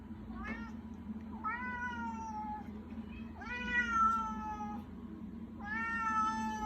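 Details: Salem, a pet cat, meowing while begging: three drawn-out meows, each about a second long with a slight rise then gentle fall, spaced roughly two seconds apart, over a steady low household hum.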